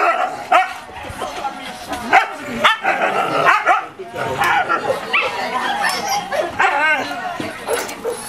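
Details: Two Siberian Husky sisters 'talking' to each other at home in Japan: overlapping wavering, howl-like whines and yips rise and fall in pitch, trading back and forth almost continuously with short pauses.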